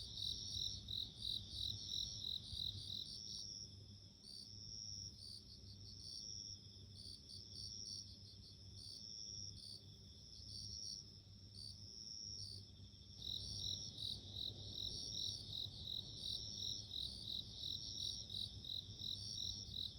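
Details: Bell cricket song in a nature recording: bright, high ringing trills pulsing about three times a second, with a steadier high tone beneath. The chirping thins from about 3 to 13 seconds, then returns fuller. A low constant hum underlies everything.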